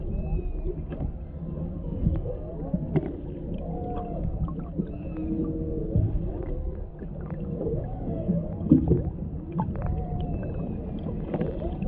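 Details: Underwater off Maui, Hawaii, humpback whales sing as a mother and calf interact near a boat, a male in the background; GoPro Hero 7 Black recording of looping arched moans and squeaky upsweeps over steady low water rumble.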